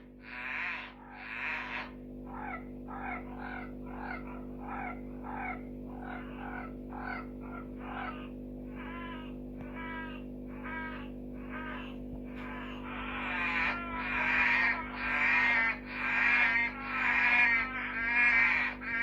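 Red-eyed tree frogs give short, dry clucking chacks, about one a second, growing louder toward the end.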